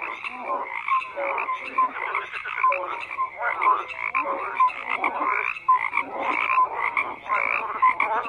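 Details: Croaking frogs in full chorus: bursts of raspy, rhythmic calls from numerous animals rise and fall in waves, with short tonal notes repeatedly breaking through.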